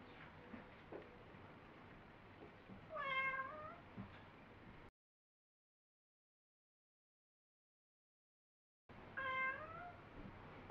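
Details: Pet cat called Me answering its owner in a dialogue, meows read as asking to play, go out, come in or protesting; two clear harmonic meows arching down in pitch, separated by silence, over faint room noise.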